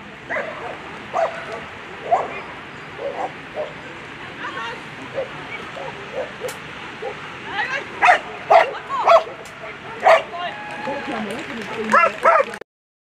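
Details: At a world championship agility contest for German Shepherds, scattered barks come at first, then a louder burst of quick barks near the end, set against steady arena chatter.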